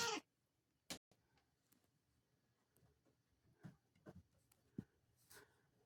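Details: Bengal cat sneezing indoors: two sharp, explosive bursts in quick succession right at the start, then near quiet with scattered soft clicks and small rustling taps.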